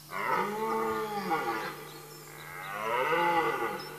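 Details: Red deer stag during the rut in Mecklenburg-Vorpommern, Germany, late September, in woodland: two long, drawn-out harmonic roars, the first falling and breaking off, the second swelling then fading, with a steady low hum beneath.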